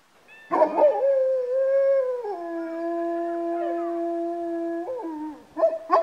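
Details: Georgian Shepherd dogs, kept as one owner's pets, howling over several days: a long, steady tonal howl that drops partway to a lower sustained pitch, holds for about three seconds, then slides down and ends in a few short yelps.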